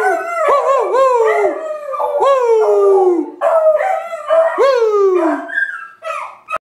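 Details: Two 8-month-old beagle sisters howl along with their owner in long wavering bays that swoop up and slide down, their voices overlapping.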